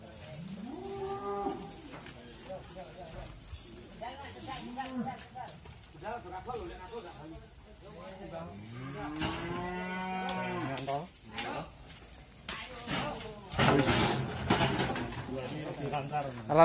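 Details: Agitated qurban bull Wisanggeni of Irfan Hakim, being loaded to go to Lembu Benggolo in Lumbir, lows repeatedly: several short and long moos, rising and falling, amid shouting people and clattering near the end.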